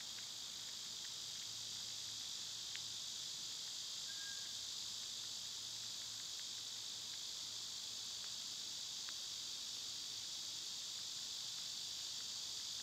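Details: Loud cicadas in summer keep up an even, high, hissing drone from start to finish, with a short faint whistle and light clicking in the background.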